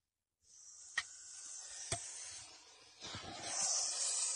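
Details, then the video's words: Venomous snake by a water meter in Masis giving a continuous airy hiss, punctuated by two sharp clicks, growing louder toward the end. "ЯДОВИТАЯ ЗМЕЯ УДОБНО УСТРОИЛАСЬ ВОЗЛЕ ВОДОМЕРА И ШИПИТ"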